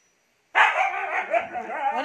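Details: Ice, a hyper Siberian Husky just bathed at home in the Philippines, breaks the silence with a long, loud, wavering howl-like vocal outburst that rises and falls, sustained for about a second and a half.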